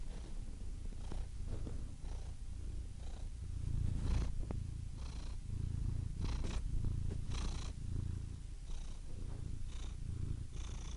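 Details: Domestic cat purring steadily: a low rumbling drone with irregular breathy swells, the inhale and exhale phases blurring together over the whole stretch.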